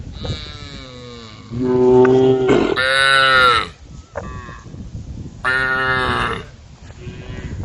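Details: A group of cows roaming a road at the forest's edge, calling the herd: several loud, long harmonic moos, some rising then falling, each lasting about a second, with quieter lowing between them.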